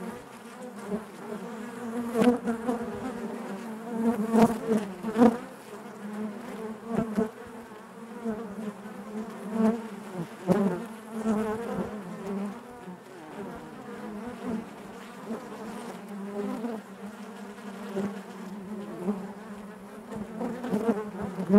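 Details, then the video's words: Natural buzzing of honey bees in their hive: an unbroken, low, harmonic drone that rises and falls in loudness, scattered with clicks and short louder surges throughout. "bees therapy hive natural buzzing sound"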